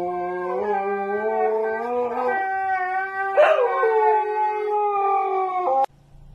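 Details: Siberian Husky in a long drawn-out howl, a level tone that steps up in pitch partway through, breaks briefly, then resumes and cuts off abruptly after about six seconds.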